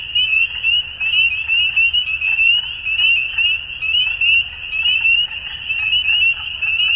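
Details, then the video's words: Dusk frog chorus, many callers overlapping in a continuous high, shimmering trill, pulses swelling and fading about once a second over a soft low background hum. "Frogs At Dusk"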